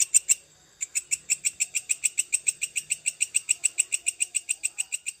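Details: Long-calling grasshopper (belalang kecek panjang) recorded as tutor material for songbirds: a fast train of sharp, dry, high-pitched ticking pulses, about three to four per second, after a brief opening burst and pause.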